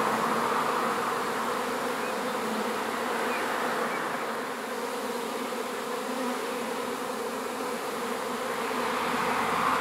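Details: Honey bee swarm being moved into a new hive: a dense, steady buzzing drone of many bees, with layered hum bands from low to mid pitch and no pauses across the whole stretch.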